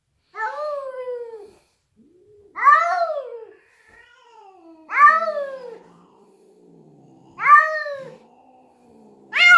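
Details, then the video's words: Adult Siamese cat and young Bengal cat face off indoors at home, settling who is in charge; five loud, drawn-out, arching harmonic yowls, each about a second long, come roughly every two seconds with quiet gaps between them. "Showdown Siamese cat and Bengal cat"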